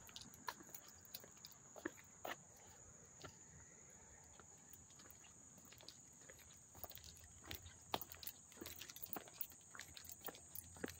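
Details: A constant thin, high ringing of crickets fills a summer scene in Hastings-on-Hudson, New York, on August 13, 2024, with frequent sharp ticks and rustles close by.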